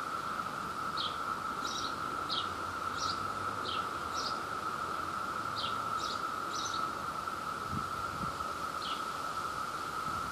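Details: Brood II periodical cicadas chorusing in New Jersey at peak emergence while searching for mates: a steady, unbroken high drone throughout, with short bright chirps from another caller scattered over it about every half second.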